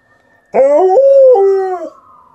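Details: Liza, a female Alaskan Malamute, gives a short howl of about one and a half seconds, starting with a sharp rise, holding a steady tone, then stepping down to a lower pitch before fading.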